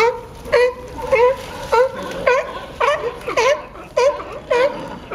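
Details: Sea lions fighting at Pier 39, Fisherman's Wharf, San Francisco, California: hoarse, harmonic barks, each dipping then rising, repeated about every half second, roughly nine in five seconds, over a steady background hiss.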